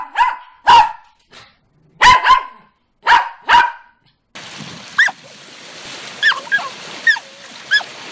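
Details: A dog gives loud, clipped barks in pairs, then a noisier scene follows with thin, high rising yips over a hissing background.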